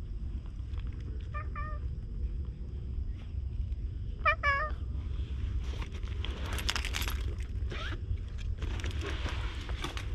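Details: Stray cat in a quiet shopping street, talkative while being petted, gives two short meows early on, followed by rustling and scraping handling noises over a constant low rumble.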